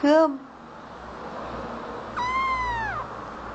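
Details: Cute kitten answering its owner's affectionate talk: a short human voice at the start, then after a pause one clear, drawn-out meow that starts high, holds, and falls away, in a quiet room.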